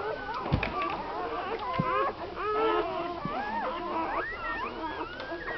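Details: Day-old American Staffordshire Terrier pups from a litter of nine born to Tina on Christmas Eve 2009 keep up a chorus of thin, bending squeals and whines, with a few soft thumps underneath.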